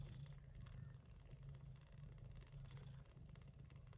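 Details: Gray Persian Chinchilla Shorthair mother cat tending her kittens born during an early September typhoon; continuous low rumbling purr, pulsing steadily for the whole stretch, little else heard.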